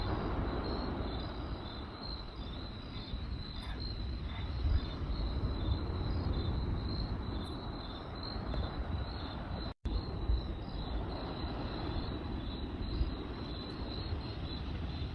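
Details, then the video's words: Crickets chirping by night, a continuous high pulsed trill running throughout, beneath crackling fire noise and low rumble, with a sharp brief dropout near the middle. "Cricket Sounds by Night"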